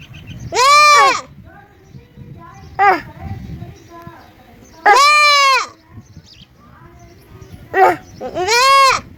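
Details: Cute baby goat giving three long, loud, quavering baa bleats spaced a few seconds apart, with shorter, softer bleats in between against a quiet background.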